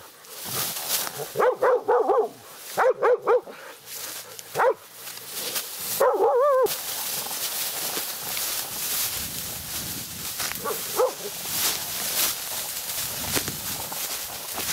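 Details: Laika on a nighttime badger hunt, meeting a badger for the first time. Rapid, strained barks come in short bursts early on, with a drawn-out yelp, then give way to rustling in vegetation and scattered faint yips.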